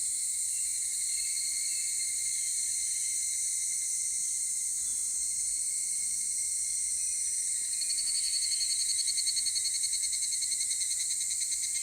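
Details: Higurashi cicada heard at 16:14 on Monday, 23 July 2018, in Takahashi City: steady high insect hiss for several seconds, then a loud, fast pulsing ringing series starts near the end and carries on.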